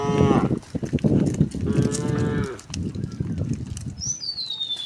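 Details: Tame cows, dozens of them, walking along a quiet countryside road; short low moos amid loud clattering and shuffling noise, ending with a high falling bird whistle.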